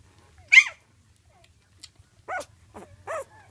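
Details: One-week-old female blue Weimaraner puppy held up by hand, giving a few sharp, short squeals spaced apart with quiet gaps between, the first loudest and highest, the later ones lower and softer.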